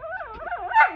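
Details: Lotus, a female whippet who rules the house, yelling at a male whippet indoors; a one-second wavering whine-like yowl, pitch sliding up and down in looping bends before ending in a louder, higher burst.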